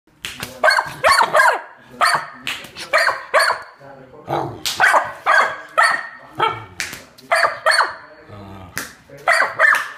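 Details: Pit bull barking while attacking an intruder: a rapid series of harsh, sharp barks in uneven bursts, several per second, broken by short pauses.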